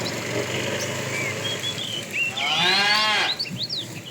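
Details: Morning herd of tame cows on the way to grassy fields; a single short moo near the end, rising and bending down, partly buried under constant birdsong and chirps.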